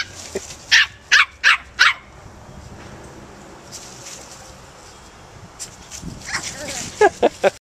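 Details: Four-month-old Scottish Terrier at play in a back yard beside a nine-week-old Cairn terrier puppy, first full day of their acquaintance; a quick run of four sharp high yips, a quiet stretch, then another cluster of short yaps near the end.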